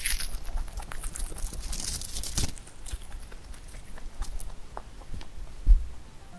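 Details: Huchu, a pet rabbit, chewing clover, with soft crunching and quick tearing clicks in an irregular patter.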